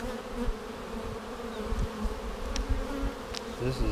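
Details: Buzzing honey bees in a vertically split colony, March 10, 2019, seven days after the split, while frames are inspected for queen cells: a steady hum over heavy low rumble and thumping from handling, with faint ticks.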